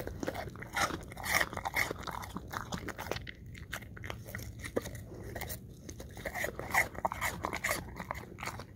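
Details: English Cream Golden Retriever chewing apple chunks close up: crisp, crackling crunches in quick runs, a brief lull after three seconds, then more rapid bites, all over a low steady hum.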